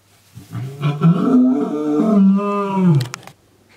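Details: One long, drawn-out roar, rising slightly and then sinking, from Ruben, a lion rescued to an Armenian bear sanctuary after being left behind at a closed private zoo. A few sharp clicks follow as it ends.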